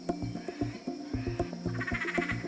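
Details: A marsupial frog of Central and South America, whose females carry their eggs in a back pouch, gives low, rapidly repeated croaking pulses, with faint music behind.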